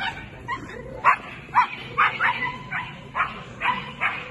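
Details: Scottish Terrier Islay, a female competing at the Swiss Agility Championships 2022; sharp, mid-pitched barks come in a steady string of about two per second, with faint arena background behind them.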